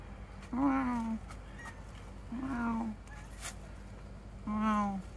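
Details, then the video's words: Domestic calico cat on a rooftop meowing three times at roughly two-second intervals, each call short, nasal and slightly falling in pitch, with quiet background hum between calls. "Funny cats 😹 Meow"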